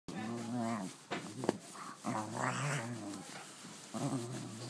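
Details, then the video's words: Pet dog playing with a new toy it loves, making odd gremlin-like grumbling growls in bursts of about a second, with wavering pitch and short breaks between, recorded in a small room. "My dog making out with his new toy sounds like a gremlin"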